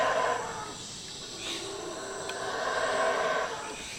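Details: A troop of howler monkeys surrounding a camper in the Costa Rican rainforest gives deep, rolling roars that swell and fade in a broad, breathy wash, amid cicadas, frogs and birds.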